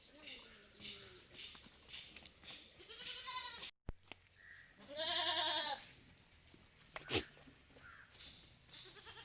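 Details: Malabari goats on a farm, taken outdoors for the day. Two loud, wavering bleats rich in harmonics, one at about three seconds and a longer one near five seconds, then a sharp click, with quieter background calls and farm noise.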